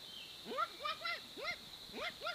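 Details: Bushbaby calling: a quick series of six short, arched calls that rise then fall, each rich in harmonics, spaced under half a second apart, over a steady high-pitched insect drone.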